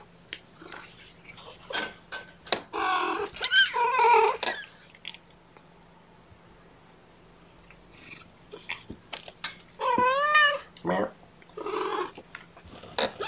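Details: Young kittens, part of a litter of four (three males, one female) with mother Seraphina at Purrfect Pals, Washington, call during lunchtime handling indoors; bursts of rustling and shuffling, then a clear rising-falling mew near ten seconds.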